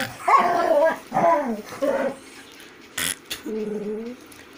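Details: Several Golden Retriever vocalizations, each a falling, wavering whine-bark lasting half a second or so, come in an irregular run with two sharp clicks partway through; the last is a lower, steadier moan.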